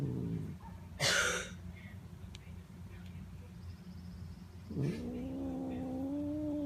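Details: Notail, a domestic cat, vocalizing while being petted: a sharp broadband rustle early on, then a long tonal meow that dips and climbs before holding steady, drawn out to the end over a low background hum.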